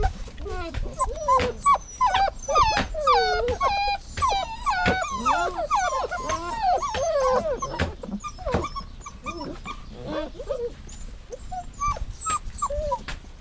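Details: Dog whining steadily: a long run of thin, high, quavering whimpers that swoop up and down, repeated almost twice a second, with some sharp clicks and thuds in the background.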